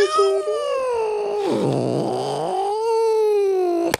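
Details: Domestic cat growling and yowling while being pulled out from under a chair indoors: a long sustained wavering howl with rich harmonics, dipping into a rough low growl midway, then rising again before ending abruptly.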